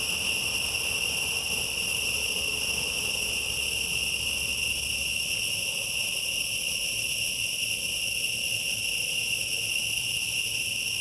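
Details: Steady, piercing insect chorus in forest, multiple high whining tones held without pause, a low hum fading out about halfway through.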